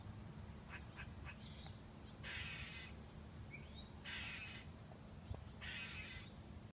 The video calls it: Squirrel is making weird sounds